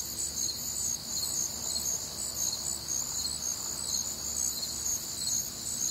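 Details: Night chorus of crickets recorded on a humid, warm Midwestern summer night, a shrill continuous wall of high trilling with regularly pulsed chirps riding on top, several callers overlapping, nothing else prominent.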